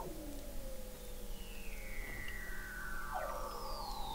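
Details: Weddell seals under the sea ice of McMurdo Sound, Antarctica, recorded in November 2017 by an observatory 21 m below the ice: faint, slowly falling whistles overlapping one another above a steady low rumble.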